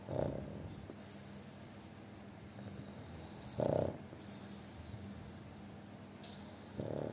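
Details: Overweight pug sleeping and snoring very loudly, with three harsh, throaty snores spaced roughly three and a half seconds apart and a low steady hum between them.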